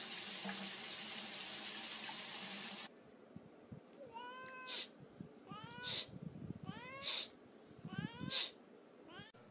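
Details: Cat meowing about five times in a row, each meow a short rising-then-falling wail roughly every second, after a loud rush of running water from a tap that stops abruptly.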